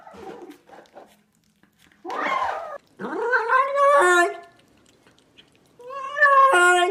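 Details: Domestic cat making funny noises: soft low murmurs, then a harsh breathy cry, then rising strained meows that climb in pitch. A final drawn-out tonal yowl closes the sequence, with quiet gaps between calls.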